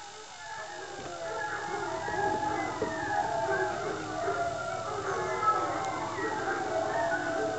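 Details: Old English Foxhound pups, just woken for their afternoon feed, whine and yelp together in a high, wavering, overlapping chorus.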